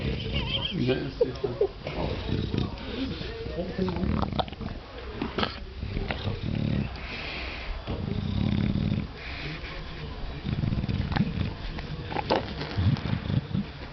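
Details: An English Bulldog being scratched gives low, rumbling, purr-like grunts of contentment, with human voices alongside.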